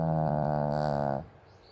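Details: Pomeranian dog fast asleep on a banana-shaped bed, snoring like an old man: one long, loud, harmonic-rich snore lasting over a second, steady and buzzy, then cutting off into a quiet room.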